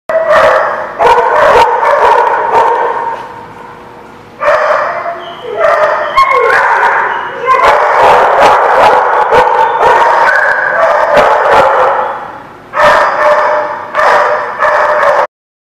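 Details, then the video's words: Many dogs bark together in a loud, overlapping chorus of sharp, repeated barks and yips, in bursts with brief pauses, and the recording cuts off at the end. "The Barking Lot"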